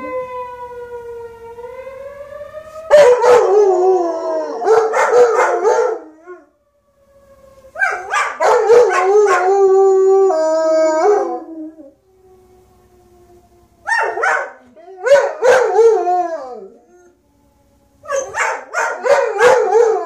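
Two German Shepherds howl together in long, wavering, rising and falling wails broken by short pauses.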